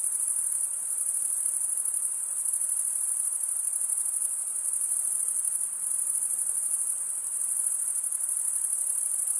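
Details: Chirping crickets, the males stridulating with their wings, keep up an unbroken shrill, high trill with slight pulsing in loudness throughout; nothing else is heard.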